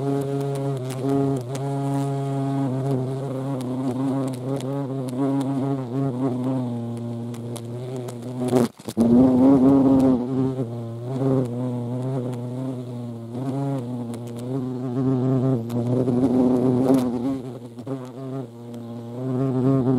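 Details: Hornets visiting a feeding spot alongside ants, Dohr in the Eifel, Germany, 28 July 2022; deep continuous humming buzz that rises and falls in pitch, a sharp click midway followed by a louder surge of buzzing.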